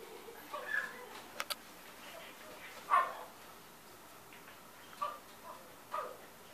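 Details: Chihuahua giving a few short, sharp, high yipping barks spaced about one to two seconds apart, the loudest near the middle, over a quiet background with faint clicks and soft voices.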